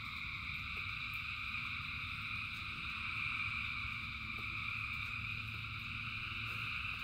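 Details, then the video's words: Thousands of frogs in rain giving a dense, even, buzzing trill chorus across several high pitches, rain hiss and low drone beneath, a few sharp drip sounds. "Frogs in Rain 2 Hours of Frogs, Thousands of Frogs Singing"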